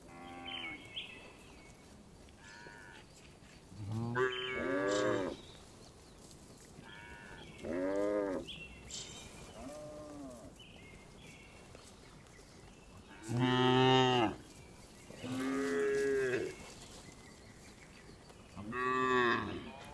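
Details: Several tame cows, driven home to the barn in the village every afternoon, moo repeatedly. Some moos are deep and rough, others higher and wavering. About six calls over twenty seconds with quiet outdoor noise between.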